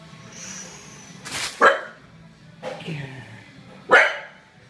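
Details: A Bull Terrier barking at its reflection in a mirror gives three sharp, loud barks about a second apart, with a faint indoor hum behind.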